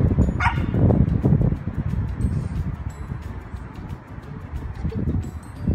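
A Shih Tzu gives a string of rough, uneven barks, several a second at times. Longer, wavering howl-like notes run between the barks, over a low background rumble.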